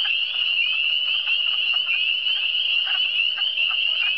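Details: Many frogs heard in the cantons de l'Est, Eastern Townships: a constant high-pitched trill forms a wall of sound, with faint rapid croaking pulses scattered through it.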